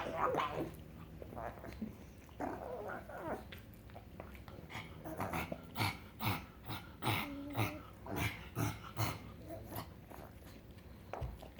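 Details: Frank the pug, happy and making strange sounds: quieter rapid snorting and grunting bursts with low rumbling background, growing denser midway then fading.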